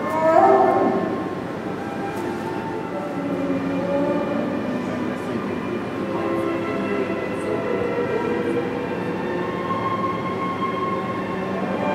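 A steady, grinding rumble with faint tonal squeals, like a passing train, and no clear animal voice.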